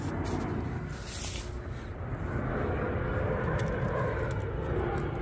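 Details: Outdoor talking over a steady rumble of vehicle or aircraft noise, with no animal voice heard.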